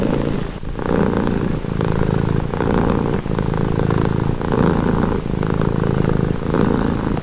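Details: Soothing purr from a domestic cat, deep vibrating rumble in repeated swells roughly every second, close to the microphone with no other animals.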